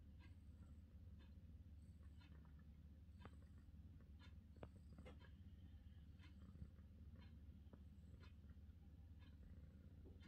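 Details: British Shorthair cat purring softly, a steady low rumble with a fine pulsing texture and faint, scattered higher clicks and rustles above it.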